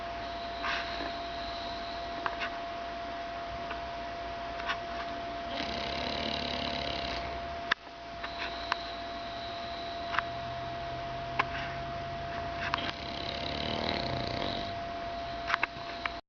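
An English Bulldog snores in slow, breathy, rasping bursts over a steady electrical hum.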